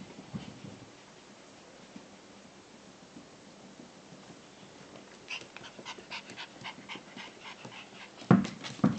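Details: A 13-week-old Shiba Inu puppy, playing indoors, breathes and snuffles quietly at first, then gives a run of quick, scratchy huffs; two abrupt, loud yips close the sequence.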